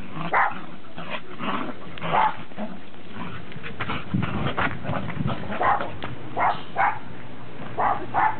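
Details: Dogs, including Pembroke and Cardigan Welsh Corgis and a Cairn Terrier, recorded on 30 December 2006; sharp barks come singly and in pairs at uneven intervals over a low, muffled background rumble.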